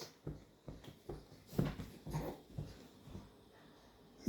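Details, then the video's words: Varchas, a pet dog about six months old, indoors in a small room, gives a run of short, soft, low snuffling grunts in separate bursts, ending in a sudden loud knock. "Varchas making sound when he is around 6months"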